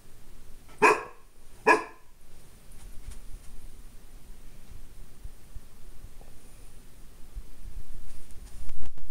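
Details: A Golden Retriever puppy gives two sharp, loud barks close together, then falls quiet, barking at his own reflection in a glass door.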